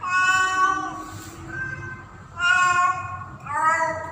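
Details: Female domestic cat in heat calling for a male during mating season: drawn-out, wavering yowls rich in overtones, two long calls and a rising third, with a steady low hum behind.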